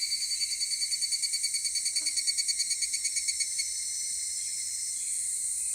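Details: Higurashi cicada calling at 16:14 on Monday, 23 July 2018, in Takahashi City: a rapid, ringing pulsed series that slows and fades over about three and a half seconds, over a steady high hiss of insect chorus.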